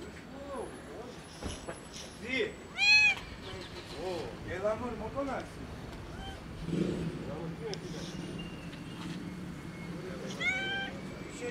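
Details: Skinny, hungry kitten meowing loudly from hunger; a run of arched, rising-then-falling meows, some high and strained, repeated every second or two, with human voices and low traffic hum behind.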